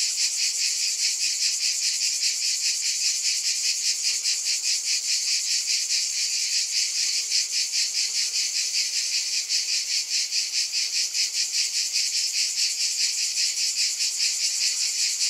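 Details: A long, even cicada drone fills the air, bright and high, with rapid fine pulsation running through the steady buzzing and nothing else audible.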